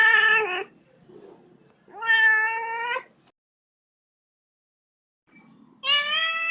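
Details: Little kitten meowing three times: bright harmonic meows, the first and second each under a second to over a second long, a pause, then a third rising meow near the end.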